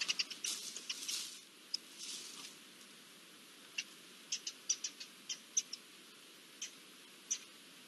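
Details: Garden dormice calling in alarm at an approaching Iberian lynx, recorded 20 June 2024: a cluster of sharp, very high chirps and clicks at the start, then single short squeaks spaced irregularly about half a second apart over a faint steady hiss.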